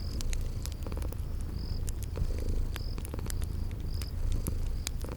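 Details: Cute kitties asleep and purring by a fireplace, spring garden setting; a dense low purr runs constantly while loud pops of burning wood and repeated shrill cricket trills sound above it.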